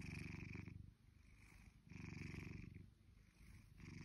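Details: Shelby, a blue British Shorthair cat almost two years old, purrs indoors in low rumbling bursts about 0.8 seconds long, each followed by a quieter breath, the pattern repeating steadily.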